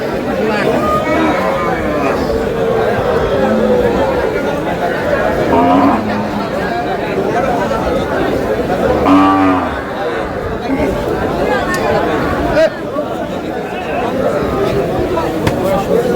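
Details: Cows with calves at the Aftabganj cattle market in Dinajpur, Bangladesh, on 18 July 2026. Low lowing moos rise out of a dense crowd of haggling voices and market chatter, with two clearer calls about three seconds apart.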